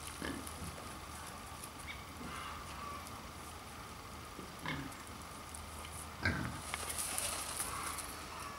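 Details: Pair of Mangalica pigs, the endangered Hungarian woolly breed, grunting in a zoo enclosure in Wanne-Eickel, Ruhr area, Germany; soft, scattered low grunts, with one sharper snort-like burst partway through, against constant low hiss.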